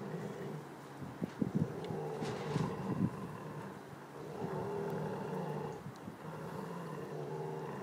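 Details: Giant Schnauzer growling over a bone indoors: a low, continuous rumbling growl that swells and eases, with a few soft clicks and gnawing sounds.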